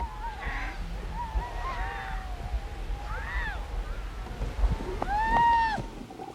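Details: On the spring ice floes of a harp seal nursery off Canada, one of two harp seal pups, about 10 days old, cries in drawn-out, wavering wails that rise and fall, over low wind rumble.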